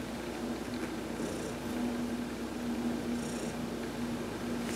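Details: An adopted cat named Heidi, massaged during a sunbath on November 19, 2020, gives a smooth, sustained purr; the low drone holds evenly, with a couple of brief soft swishes of the massage.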